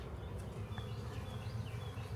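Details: Massive honey bee swarm in a backyard, being captured and set onto hive frames: a steady, low, droning hum with a dense, even texture and no breaks, and faint high chirps of birds in the background.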